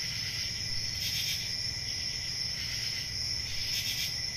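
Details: Nighttime cricket chorus on a calm rural summer evening: unbroken shrill trilling with two brief brighter swells, low hum underneath.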